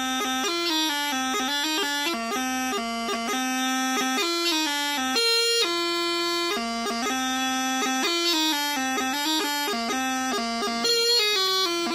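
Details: Loud, steady bagpipe music with sustained droning notes and a shifting melody; no animal voice stands out.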